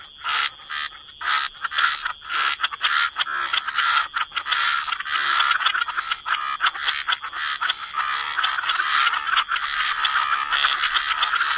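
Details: Wetland frog chorus, rough croaks starting in separate bursts then merging into a dense continuous rattling din, a faint steady high tone behind.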